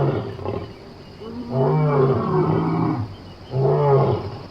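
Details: A lion in Somali wildlife gives deep, throaty roars, each a long rumbling groan with a brief pause between.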